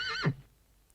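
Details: Horse whinny, only its brief tail caught: a high, wavering quaver that drops quickly into a short low snort-like ending, then quiet.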